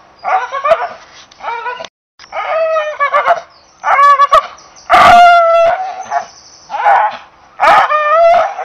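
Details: Drawn-out, howl-like barks from an English Bull Terrier, one long loud note near the middle, the rest shorter whining bursts with wobbling pitch, plus faint clicks.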